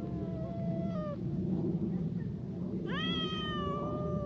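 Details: Two cats, a brown tabby and a tortoiseshell, quarrelling at a cautious distance: a low drawn-out yowl, a pause, then a sharp rising wail that levels into a long sustained moan over steady low background rumble.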